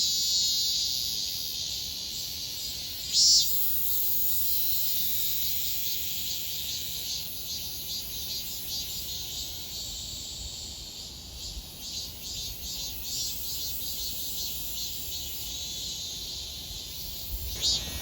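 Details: Long stretch of cicada song from Donghae, South Korea, 2022: a continuous high, sizzling drone rising and falling slightly in strength, broken by one sharp click early on and another near the end.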